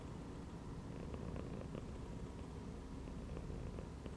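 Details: Domestic cat chilling while lying inside a gym belt, purring steadily: a continuous low rumbling throb with faint soft ticks and clicks scattered through, no other voices.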